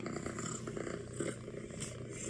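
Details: Low rhythmic purr from an orange tabby kitten at home, hearing playback of itself purring; faint continuous rumbling with slight rises in loudness and quiet human voices around.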